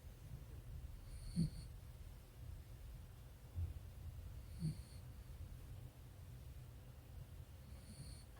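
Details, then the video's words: Bogsil-i, a 13-year-old white mother dog, snoring while asleep: soft low snorts and breaths about every three seconds, with a faint high tone pulsing in the background. "코골면서 꿀잠자는 강아지 | The puppy is snoring during sleeping"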